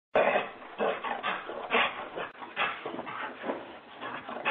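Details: Husky home alone and gripped by zoomies, giving a continuous rough, noisy stream of vocal bursts that swell and fade without real pauses for several seconds.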